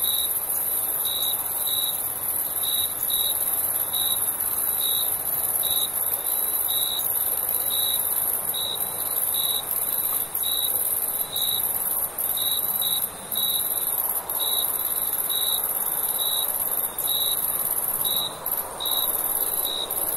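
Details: Summer night with crickets chirping steadily, short pulses about once a second for twenty seconds over an unbroken high insect drone and gentle ambient hiss.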